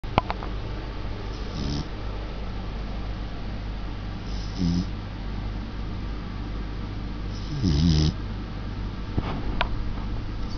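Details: Samoyed puppy asleep indoors, recorded in November 2009. Soft, low, rumbling snores come in short breaths roughly every three seconds, over a steady hum of room noise.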